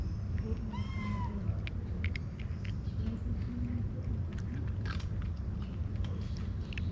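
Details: Istanbul street cat perched on a car, asking for food and love with one clear, drawn-out meow about a second in, then quieter clicks and chewing-like noises against a constant low rumble.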